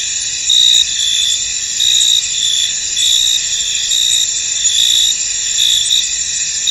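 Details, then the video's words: Field crickets under fog in a misty meadow, their steady high buzzing wall of sound broken by louder, clearer chirps that come roughly once every second. "Tranquil Cricket Sounds In An Misty Field"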